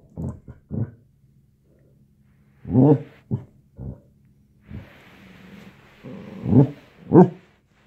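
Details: Basset hound puppies squaring off indoors, giving short deep barks and yaps in irregular bursts, some paired, with a hissing background noise in the later seconds.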